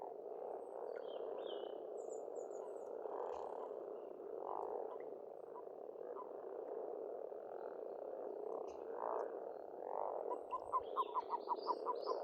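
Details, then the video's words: Spring chorus of frogs at an Estonian farmstead pond: continuous low croaking hum with pulsing swells every second or two, a quick series of rapid clicking notes near the end, and faint chirping birds overhead. "Расслабляющее пение птиц и лягушек, весна, природа."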